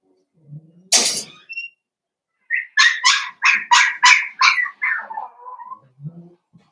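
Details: Five blenheim Cavalier King Charles Spaniel puppies romping with their mother Paris in a home puppy pen: a thump, then a rapid run of about eight bright yips, fading into soft whimpers and low grumbles.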